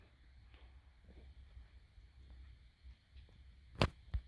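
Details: A quiet indoor room with low background hum, faint soft rustles, and two sharp clicks near the end; no animal voice is heard.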